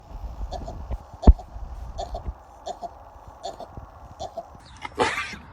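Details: Baby sheep on a farm sneezing over and over, short snorting bursts repeating roughly every three-quarters of a second, with a louder burst of sound at the end.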